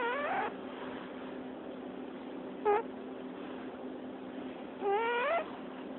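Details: Cat squeaking in its sleep: a brief rising squeak, then a short chirp, then a longer upward-bending whistled squeak, spaced irregularly over six seconds.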